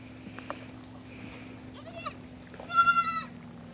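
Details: Single female goat kid playing, jumping on and off a tree stump and running around; a faint short cry, then one clear, high, wavering bleat near the end, with soft background hiss.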